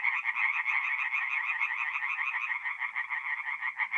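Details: In mid April at a North-East Italian forest pond, tree frogs call through the night in a thick chorus of rapid, buzzy, repeated croaks that pulse several times a second.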